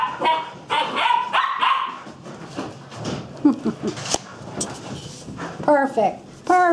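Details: A young puppy chasing a big dog around a table indoors; high, harmonic yips and whines in the first two seconds, a human voice in the middle, then more sharp yelping calls near the end.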